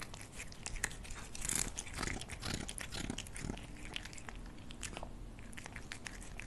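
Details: Cat eating food inside a small room: dense crunchy chewing, bursts of crackling bites and wet smacks, louder early then settling into quieter, scattered clicks.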